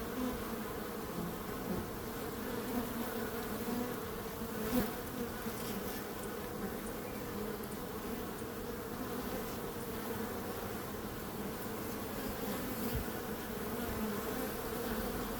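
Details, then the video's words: Bees producing a dense, unbroken droning buzz, low and steady throughout, with one soft bump near the middle. "Relaxing Calming Bees Sound"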